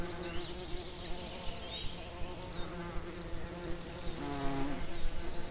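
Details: Bees hum over summer lavender, a low steady buzzing drone that grows louder toward the end as one approaches, while a bird repeats short high descending whistles above.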